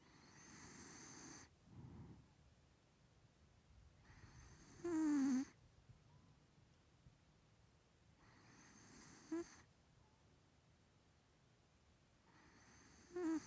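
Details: Snoring of a three-year-old male Maine Coon pet cat with a bad nose, at home in London: soft breathy rasps about every four seconds, several ending in a thin whistling squeak through the nose, with quiet pauses between.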